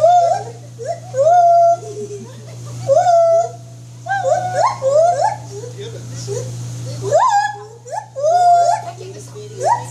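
A white-handed gibbon gives clear, swooping hoots, each rising sharply and then leveling off, repeated in quick series.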